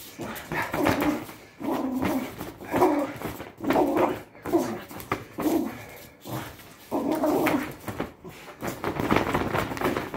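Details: A Patterdale Terrier tugging in a tug-of-war training session gives repeated gruff growls, each burst roughly a second long with brief gaps, in a small indoor room with scuffling noises.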